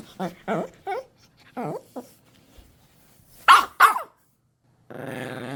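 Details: Dog reacting to its toy being taken away indoors: short voiced bursts and two sharp loud yips, then a sustained rumbling growl at the end.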